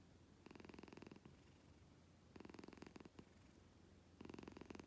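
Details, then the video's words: Pet cat purring indoors, likened to snoring louder than a husband's; three strong pulsed purring bursts, each under a second long, separated by softer rumbling pauses. "Так даже муж не храпит…"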